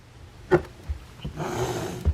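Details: At 7:40 p.m., a rescued feral domestic cat, up high with another cat, gives a low, rough, rumbling growl after a few sharp knocks; cat.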